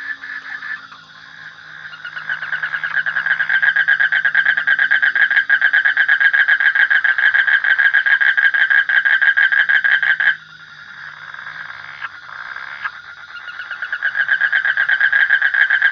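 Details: Frogs calling in a dense, continuous rattle of fast pulses. The calling swells after a quiet start and briefly drops away around the tenth second before building again.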